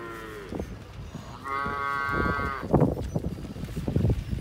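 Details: Calving Hereford cow bred to registered Brahman bulls gives a brief low moo, then one sustained, even-pitched bellow of about a second, followed by heavy thumps and knocking.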